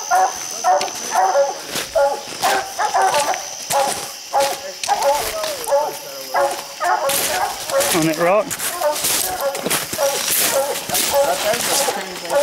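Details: Coonhounds baying treed at a raccoon on a steep, slick hillside, one of six raccoons seen; many overlapping dogs give rapid, ringing barks and bawls with rustling brush and footsteps throughout.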